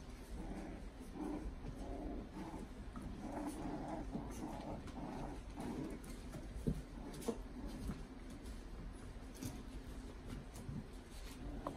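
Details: Playing puppy making a steady run of soft, low, rough growling bursts, closely repeated through most of the recording, with a few sharp clicks and knocks in the background.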